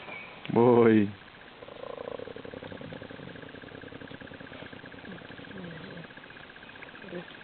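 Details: Hyenas fighting over an elephant carcass in the Sabi Sands, Kruger National Park: one loud, harmonic, rising yelp under a second long, then softer low moaning calls over a steady rumbling engine hum.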